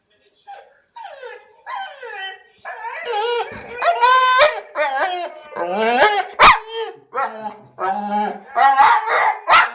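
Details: American bulldog at home making funny vocal noises after hearing its own voice played from a computer: a series of wavering, whining, moan-like calls, rising and falling in pitch, growing louder and longer over about ten seconds.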